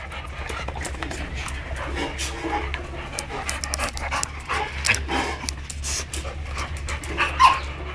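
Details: Two female Labrador Retrievers in Navojoa, Sonora, Mexico; steady rapid breathy panting runs through, with a low hum underneath and brief snatches of a woman calling to the dogs.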